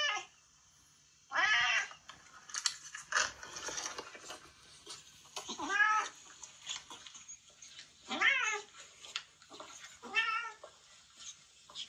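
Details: Harsh "fugyaaa" screeches tied to a retired boss cat that long ruled a residential neighbourhood and is now in end-of-life home care; about five wavering, strongly harmonic cries of roughly half a second each, spaced irregularly, with soft rustling between.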